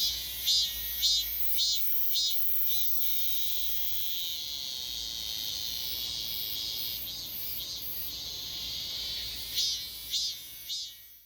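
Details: At Daegok-ri in Gapyeong County, a robust cicada back after a year sings pulsed buzzy phrases about twice a second. A steady high whirring drone holds between them, and a fresh run of pulses comes near the end.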